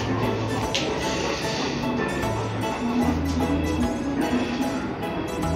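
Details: Steady instrumental music with a quiet voice underneath, and no animal sound anywhere.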